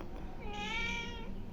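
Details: A hungry pet cat gives one drawn-out tonal meow lasting about a second, its stacked harmonics rising slightly then falling away, with a low indoor hum beneath and human voices around it.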